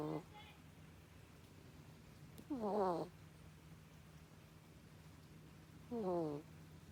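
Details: Koppa, the family's pet ferret, sleeping with human-like snores: a brief faint sound at the start, then two squeaky, falling, harmonic snores about three seconds apart, against a steady low indoor hum.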